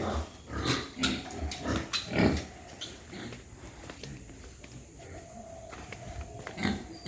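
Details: White pigs at a farm in Hooghly district, India, on a morning walk-round: a few short, rough, low grunts in the first two seconds, then quieter shuffling and scattered farm noise.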